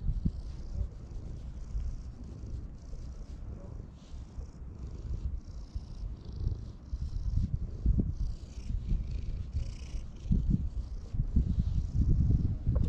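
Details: A park-dwelling community cat purrs contentedly as it is stroked, recorded with a GoPro HERO8; a continuous low purr rises and falls in uneven surges, with soft rustling from handling.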